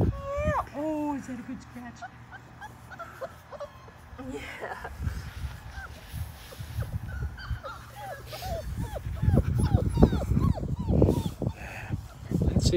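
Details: Labrador Retriever puppies, 5 weeks old and one of a litter of six, paddle in a shallow baby pool. Thin, arching whimpers and yips come in quick bursts, quiet at first and then busier, over splashing and soft voices.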